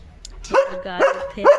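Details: Three quick barks from a German Shepherd telling its owner another dog has come outside, separated by a short whining, harmonic sound, with faint background noise.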